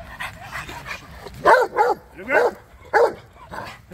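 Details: A male Rottweiler doing foundation bite work for personal-protection training gives a run of loud, harsh barks, each a short, forceful burst.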